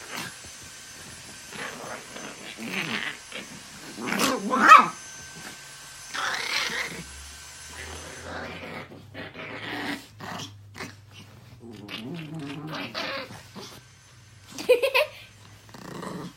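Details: Pet dogs fighting indoors, recorded March 2018; harsh snarling growls and sharp yelping barks come in irregular bursts, loudest near four to five seconds and again near fifteen seconds, separated by quieter stretches of shuffling.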